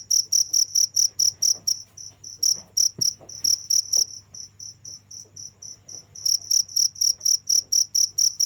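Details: Continuous cricket calling: quick high-pitched chirps in regular pulses, thinning out and pausing for a few seconds midway before resuming strongly; a soft low hum underneath.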